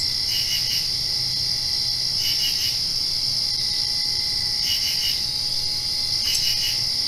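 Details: After-rain night crickets: a continuous high trill with bursts of three quick pulsed chirps repeated about every two seconds, over a faint steady low hum.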